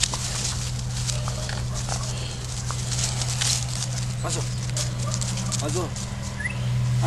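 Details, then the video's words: Two puppies at play, American Staffordshire Terrier Cezar at 15 weeks and Alaskan Malamute Maza at 20 weeks, giving brief wavering squeaky whines near the middle over steady low hum, rustling and scuffling noise. "american staffordshire terrier & Alaskan Malamute (Puppies play)"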